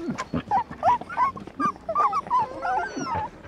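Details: Border Collie-type puppies from a farm litter, nursing from their mother: overlapping short whimpers and squeaky yelps, rising and falling, several pups calling over one another in quick irregular bursts.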